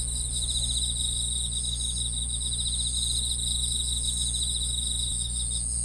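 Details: Grass insects chirping in a dense chorus: high, pulsed trills layered in two bright bands, running without pause, over a steady low hum.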